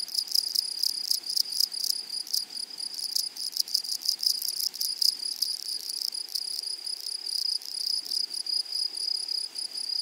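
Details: Grasshoppers calling in a flowery meadow: a loud, dense, high-pitched insect buzz with rapid rasping pulses that sound almost continuous.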